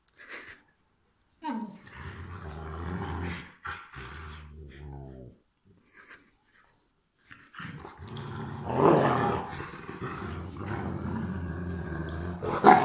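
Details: Rottweilers Miley and Fiona at play indoors, one giving low, rumbling growls in two long stretches with a short pause between, rising into louder, rougher snarls near the end, with scuffling sounds.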